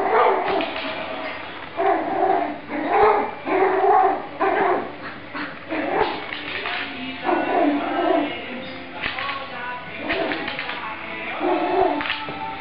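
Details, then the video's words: Two dogs fighting, with repeated high, harmonic yelps and short barks in irregular bursts every second or two across the stretch, mixed with human voices nearby. "dogs fighting"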